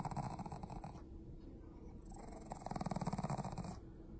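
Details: Shih Tzu/Pekingese dog indoors giving a low, rough, pulsing growl in two bursts, the first about a second long, the second from about 2.5 to 3.7 seconds, with a quieter stretch between.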